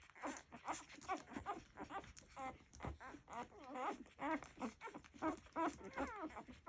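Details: Little Labrador Retriever puppies nursing, with rapid, overlapping squeaks and whines, some sliding up and down in pitch, packed closely together among soft shuffling and suckling.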